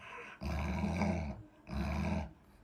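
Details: Lolo, a pet Alaskan Malamute, gives two low, rumbling, grumbling vocalizations, each about a second long, separated by a short pause, with rich layered overtones and little else heard.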